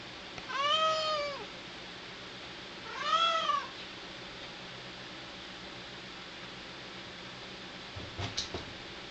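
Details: ['A neutered male cat gives two long meows about two seconds apart. Each is tonal and arched, first rising then sliding down. A short clatter follows near the end, in a quiet room.']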